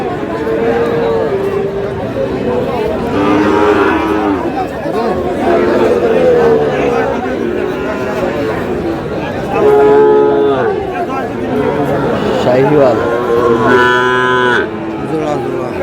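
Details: Sahiwal cattle at a cattle market in Chattogram, Bangladesh, where bull calves are sold: several low, drawn-out moos rise and fall over about sixteen seconds, half-buried under steady crowd chatter and bargaining voices.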